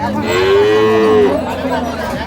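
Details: Dairy cow at Ambari cattle market in Bangladesh, among Jersey cows and calves for sale: a single loud, clear moo held for about one second with a slight rise then fall, followed by market chatter.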